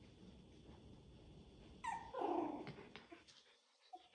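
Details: Maya, a mother dog, plays with her puppies. After a quiet start, a sudden loud whining yelp slides downward into a rough, growly rumble lasting about a second, followed by faint scuffles and one short squeak.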